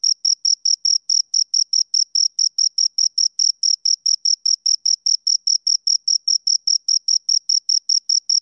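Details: Two crickets chirping, loud clean pulses near one pitch with a fainter higher band, about four to five chirps per second in a steady train, no other sounds.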